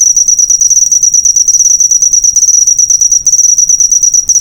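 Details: Cricket chirps meant for teaching caged birds to copy, a piercing steady trill of rapid pulses on one high note, with two short gaps near the end.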